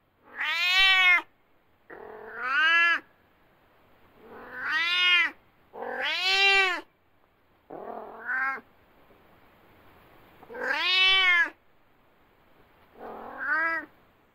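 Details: Domestic cat meowing loudly, presented as an example of cat vocalization: seven drawn-out, strongly harmonic meows, several arching up then falling, spaced irregularly about every one to two seconds, in an otherwise quiet setting.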